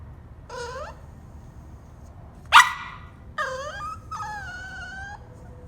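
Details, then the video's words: Cavalier King Charles Spaniel shut in its cage at bedtime, half yawning and whining to come out: two high, wavering whines with rising and falling harmonic tones, a sharp yelp-like burst between them, low background hum. "Cavalier King Charles spaniel cute whining sound"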